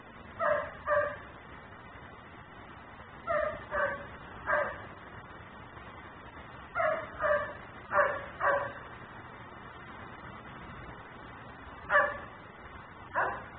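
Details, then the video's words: A dog kept outside barks on and on, filmed by a neighbour's camera running ten-minute cycles; short clustered barks in groups of two or three, separated by pauses of one to three seconds, against a constant low hum. "Barking dog no one hears.......but me"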